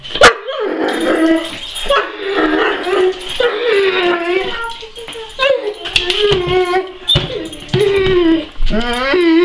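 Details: A Weimaraner whines in high, wavering, bending tones while a person talks, asking to be let outside because the neighbour's dogs are out and he wants to bark at them through the fence.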